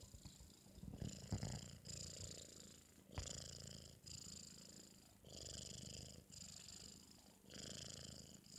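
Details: Four-month-old British Shorthair kitten sleeping after a meal, giving loud snores: raspy, hissing breaths that repeat steadily about once a second, each swelling and fading, with a low rumbling undertone throughout.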